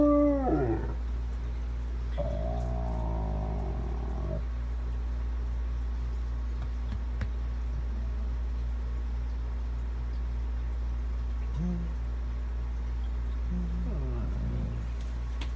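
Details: A Weimaraner fusses in drawn-out, wavering whines and grumbling moans with quieter pauses between, not wanting to get up.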